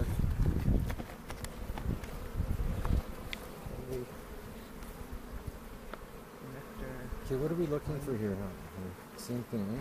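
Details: Honey bees at a foothills bee yard near Cochrane on April 27, 2018, during a hive inspection for queen cells and making a split, filmed on a 360 camera: a steady low droning hum, knocks of handling, and human voices toward the end.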